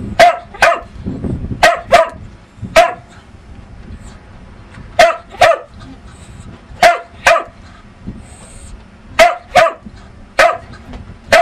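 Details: Pet dog named Lucky barking repeatedly in short sharp woofs, often in quick pairs, about fifteen barks spread evenly over eleven seconds, with a low background rumble between them.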